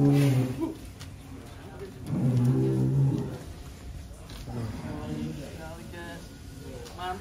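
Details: Huge barn-kept cattle in Wonosobo, Indonesia, the heaviest reaching 1.3 tons, give short low lowing moos, one at the start and a fuller one about two seconds in, amid ongoing talk from people nearby.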